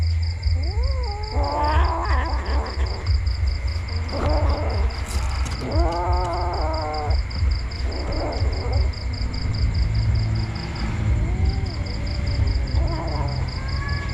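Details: Several kittens mewing repeatedly, with rising and falling squeaky cries and one louder, drawn-out wail, spaced every second or two. A pulsed electronic beep and a deep rumbling hum run underneath.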